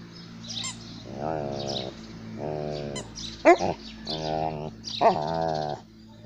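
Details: An Alaskan malamute playing with a toy gives drawn-out, mid-pitched, wavering woo-like calls in a loose series, with music.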